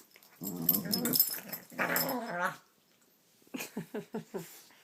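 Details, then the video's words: Pet dog making silly vocal sounds indoors in a small room: a rough, growly grumble, a second drawn-out moaning vocalisation, then after a pause a run of five or six short rhythmic yips. "The silly sounds of Gidget"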